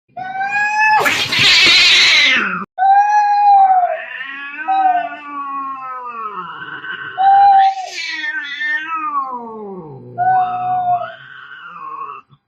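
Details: Fighting cats caterwaul angrily, with long wavering yowls and a harsh hiss or spit between them.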